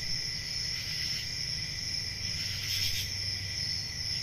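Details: Crickets chirping on a peaceful country summer night, a steady high continuous trill with a second band lower down, brief brighter bursts near the end, and a soft low rumble underneath.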